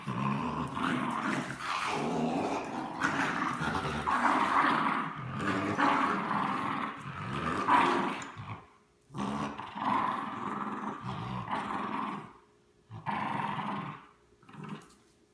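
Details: French Bulldog and Bichon Frise growling while playing tug of war; continuous rough, low rumbling growls with short pauses near the end, loud throughout the first eight seconds, then shorter bursts.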